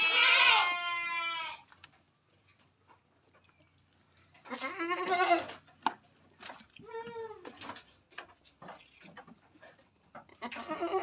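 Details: Etawa crossbred buck goat giving loud, harmonically rich wavering bleats: a long one at the start, then two shorter quavering bleats after a pause, with faint clicks and handling noises between.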